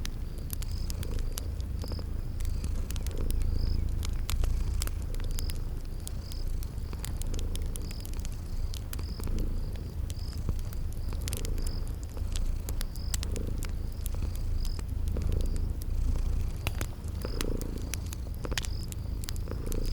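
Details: Cute sleeping kitties purring near a crackling fire in a spring garden ambience; low vibrating purr pulses in breath cycles about every two seconds, with frequent crackles and a steady run of short high chirps.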